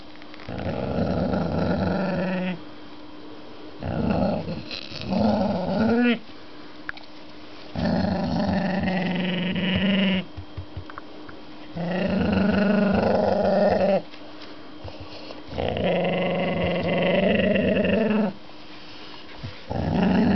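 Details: Sashi, a pet dog, makes her Chewbacca-like growling noises to claim a fancy new knuckle bone as hers; rough, throaty vocal bursts of a few seconds each, separated by short quiet gaps, indoors.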